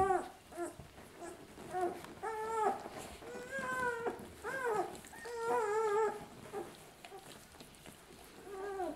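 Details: Two-week-old puppies of the dog Lucy while nursing indoors, giving repeated high-pitched whines and squeals, each bending up then down, in quick bursts of several, one overlapping another through the stretch.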